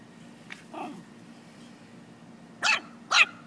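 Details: Chihuahua playing with a puppy: a soft, short yip, then two sharp, high, noisy barks about half a second apart near the end, over a steady low hum.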